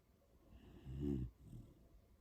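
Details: Sleeping pet Beagle On snores once, a short low rumbling snort with a clear buzzy, layered tone lasting a quarter second, then quiet breathing in a still indoor setting.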